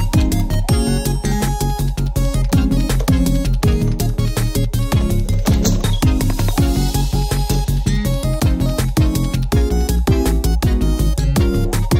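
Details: Loud, bass-heavy electronic background music with a fast, regular beat and game-like synth melodies throughout.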